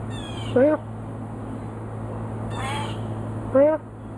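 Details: Talkative pet cat Frisky answering its owner: two clear, bending meows about three seconds apart, with a brief human reply between them and a steady mechanical hum behind.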